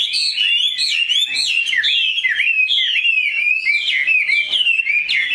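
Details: Caged Chinese hwamei, tame and large, with a superb voice, singing clear, ringing whistled phrases that repeatedly rise and dip in quick succession without pause.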